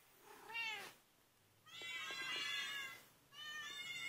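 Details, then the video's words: Kittens giving distress calls: three high, thin, harmonic-rich mews, the first short and rising-falling, the second long and wavering, the third steady, separated by brief quiet gaps with faint ticking in between. "Cute kitten distress calls!!"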